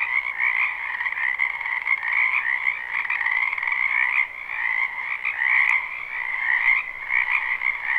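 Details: Spring frog chorus from a wetland behind a house, recorded live: dense, continuous overlapping croaks in two steady bands, a higher trilling band above a lower one, with faint clicks scattered through.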